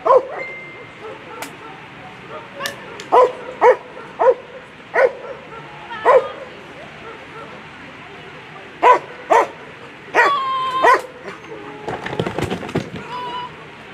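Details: German Shepherd Nox v Djipy's Haus competing at a World Championship Agility event, A2 Sunday run. Short sharp barks, spaced roughly half a second to a second apart, with a later cluster of louder yelps, over steady arena murmur and crowd noise.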